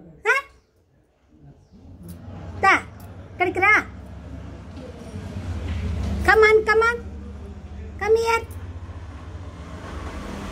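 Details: Rishi, a kitten indoors, gives a string of short, high mews: five or six rising-then-falling cries spaced irregularly over about eight seconds, some doubled. A low room hum fills the background.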